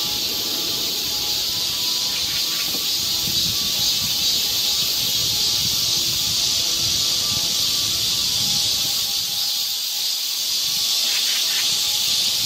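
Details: A continuous high hissing wall of cicada song fills a Korean summer forest trail in Seoul, with low thumping, footstep-like sounds and a few brief chirps in the background.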